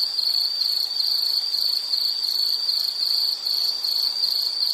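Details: Insect sound for calming background, study or sleep: a steady high-pitched pulsing trill, chirps repeated rapidly and evenly in an unbroken stream with slight swells in loudness.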